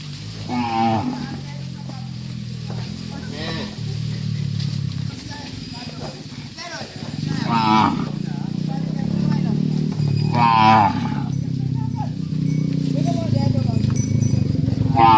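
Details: Dozens of tame cattle being herded back to a farm pen, lowing in long, deep, droning moos that overlap one another, with a few higher, harmonic-rich bellows standing out near the start and again around ten seconds.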